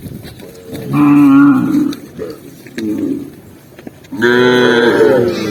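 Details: Herded tame cows running down a green hill; a rich harmonic moo sounds, then softer short lows, then another strong, long moo that swells and slides in pitch.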